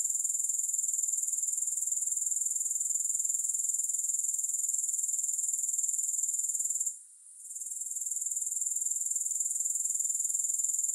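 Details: Shrill, sustained grasshopper chirring, no music, ticking along at about four pulses per second, with a short fade and dip around the seventh second before the trill resumes.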